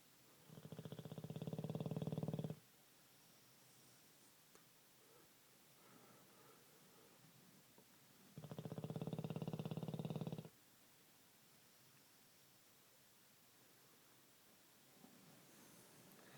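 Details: Bruno, a pet Olde English Bulldogge, snoring like a man: two loud, deep, rumbling snores of about two seconds each, several seconds apart, with quiet breathing between them in a still room.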